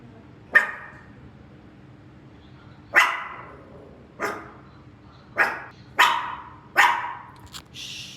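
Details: Maltichon dog Rangi, joining its owner on the commute to work, lets out six loud, clipped barks. The first ones come a few seconds apart, then they quicken near the end, with a faint hum behind.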